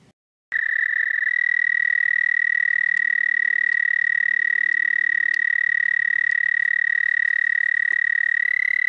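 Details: Night-time toad song from 30 May 2014 near 11:13 p.m. CDT: a brief pause, then an unbroken, rapid, buzzy trill at steady high pitch holds strong for over eight seconds, with faint clicks in the background.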